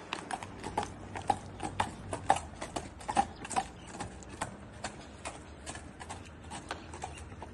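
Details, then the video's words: Steady clip-clop of horse hooves, crisp hollow knocks roughly twice a second with slight ringing tones, quieter low hum underneath and no neighing. "HEAR THE SOUND OF THE HORSE"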